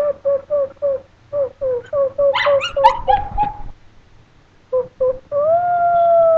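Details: Chinese Crested dogs, a two-year-old and a three-year-old, give a run of short, evenly spaced yelps, a cluster of higher squeaky cries, more clipped yelps, then a long rising howl held to the end.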